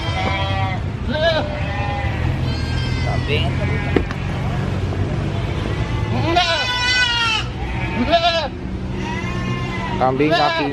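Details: A brown goat at a busy animal market gives loud, wavering bleats over a steady hum of crowd noise.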